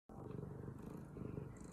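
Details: Domestic cat purring, a low rapid rattling purr pulsing steadily for under two seconds, close to the microphone.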